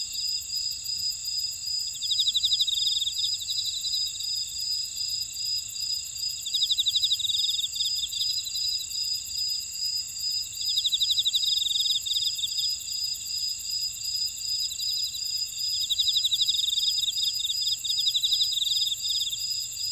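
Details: A steady, high-pitched chorus of grass insects, with bursts of pulsing trills every few seconds, in a buckwheat field in Ora-dong, Jeju City, on volcanic Jeju Island, South Korea.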